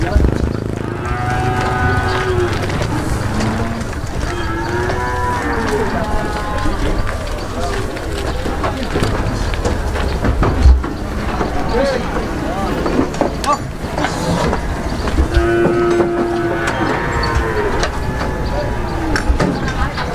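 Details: Cattle being loaded by leaping onto a truck, sustained wavering moos near the start and again later, over steady chatter and shouting of people nearby.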